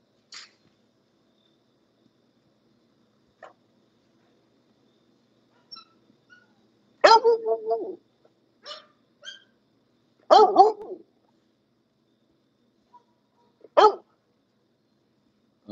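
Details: English Bulldogs at a kennel bark in scattered single bursts with long quiet gaps. The louder barks are harsh and come at about seven, ten and fourteen seconds. A few faint clicks and noises fall between them.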